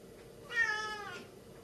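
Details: Chatty Siamese cat kept indoors utters one loud, drawn-out meow with strong harmonics, starting sharply, holding steady, then fading over roughly seven-tenths of a second; quiet room otherwise.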